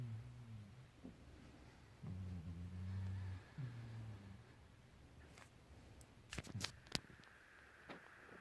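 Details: Sleeping cat snoring indoors: low, buzzy, rasping breaths drawn out over about a second each, three in a row, followed by quieter stretches with sharp clicks and rustling.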